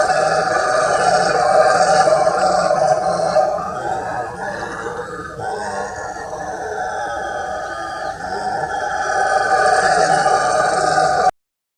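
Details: Howler monkeys (bugios) roaring at the Jardim Botânico in São Paulo, Brazil, in July 2020: a continuous deep, rasping chorus of roars that swells and eases across the whole recording without a break.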